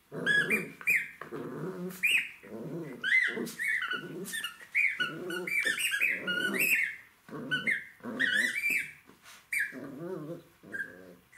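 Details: Jack Russell Terrier puppy choosing among toys, producing a busy stream of gruff growling bursts mixed with frequent shrill squeaks and squeals, the growls coming in quick succession with short gaps.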